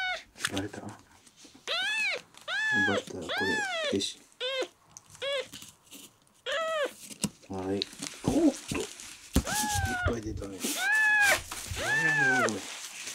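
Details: Miel, a red tabby and white male kitten rescued at one day old, ten days into care, sick and dehydrated and refusing milk, mews indoors: high, arched cries in quick bursts of two to four, with a person's voice between them.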